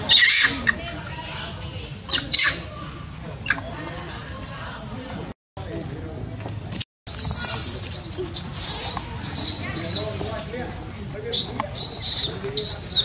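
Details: Very little baby monkey screaming and crying after being bitten by Lizzy: shrill, piercing high-pitched screams in repeated bursts, some short, some drawn out, with two brief silent gaps and background rustling.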